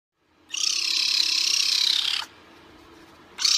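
A caracal gives a harsh, rasping hiss lasting nearly two seconds, then starts another; there are no other clear sounds.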